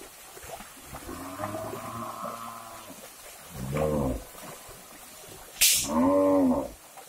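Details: Herd of cattle heading into a river during a move to new grazing ground by oil palm plantations; a long wavering moo, then two short bellows from nearer animals, one just after a loud splash.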